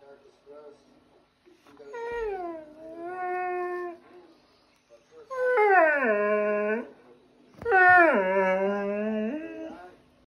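An Afghan Hound cries in long, drawn-out whining moans that dip and waver in pitch.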